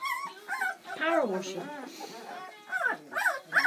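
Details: Seven Bernese Mountain Dog puppies, born Valentine's Day 2013, eating their first meal on Mothering Sunday; sliding, wavering squeals and whimpers come in short bursts, mixed with people chatting and laughing close by.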